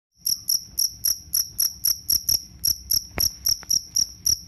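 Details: Jangkrik kalung (two-spotted cricket) chirping, recorded as a rat repellent and for tutoring songbirds; short high-pitched pulsed chirps repeated about four times a second in a steady, slightly uneven rhythm, with faint low background rumble.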